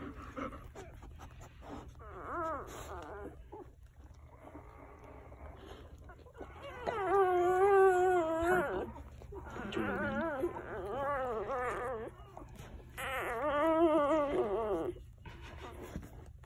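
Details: One-day-old Golden Retriever puppies from Quinn's litter, kept under a heat lamp, give wavering, rising-and-falling whines in several loud bursts separated by quieter squeaks and shuffling; a steady low hum runs underneath.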